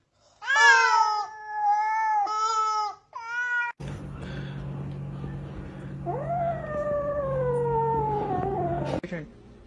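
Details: Mad, unhappy kittens: a series of short, strained meows, then a low hum under a long, sliding yowl that rises and slowly falls before cutting off.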